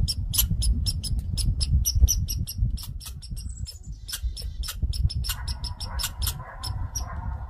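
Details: Grouchy red squirrel raising a fuss: sharp, dry chatter notes repeated about three to four times a second, with a buzzy rasping band joining midway over a low rumbling background.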